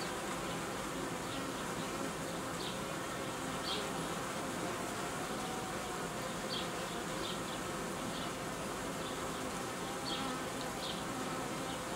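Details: Honey bees in an apiary where colonies are being united and old queens replaced with young ones; a dense, steady hum fills the whole stretch, with faint short high chirps recurring above it.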